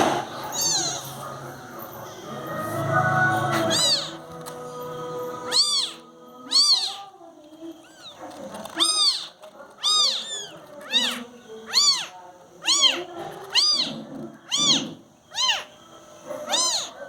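Newborn kittens give thin, high-pitched mews, repeated about once a second in an uneven chorus.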